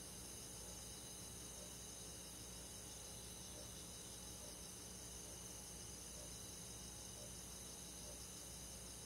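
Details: Summer-night insect chorus of crickets and other bugs in a rural forest, unbroken high trilling in stacked pitch bands with a fine rapid pulse, quiet and even, over a soft low steady hum.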